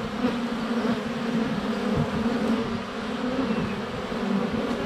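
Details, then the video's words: Many honey bees flying about a hive entrance in February sunshine, captured by a GoPro Hero 7 Black less than a foot from the hive: a thick, even buzzing drone with shifting tones and a few soft knocks. "4K Honey Bees - ambient video and audio"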